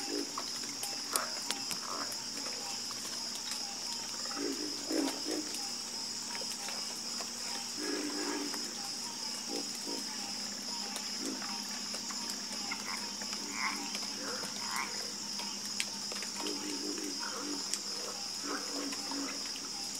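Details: Frog chorus with irregular bursts of low rattling croaks spaced a few seconds apart, quieter overlapping calls between them, and an unbroken high-pitched buzzing drone.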